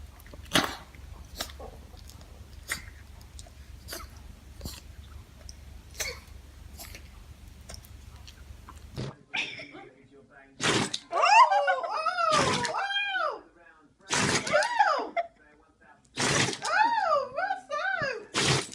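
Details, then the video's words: Indoor dog sneezes: after a run of soft ticking clicks, explosive hissing bursts recur every couple of seconds, separated by a person's sing-song talking in a small room. "멍멍이들의 재채기"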